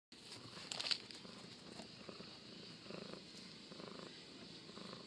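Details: Bengal kittens and a Bengal cat purring softly and steadily: a faint, low, rough rumble with gentle pulsing throughout, plus light hiss and a brief rustle near the first second.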